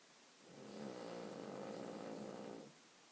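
A sleeping Cavalier King Charles Spaniel gives one long, low, rattling snore.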